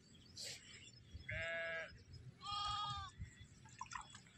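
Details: Desi sheep on a Kashmiri goat and sheep farm: two strong wavering bleats, each rich in harmonics and about half a second long, about a second apart, with softer farm murmurs and rustling around them.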